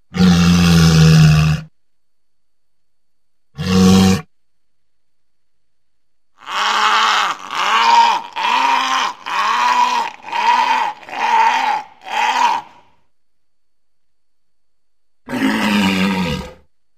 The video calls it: Walrus sounds